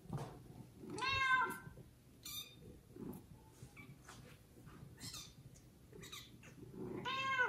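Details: Domestic kitten taken by another cat after its own mother neglected the litter, meowing loudly; a harmonic meow at the start and another at the end, with short squeaks and rustling clicks between.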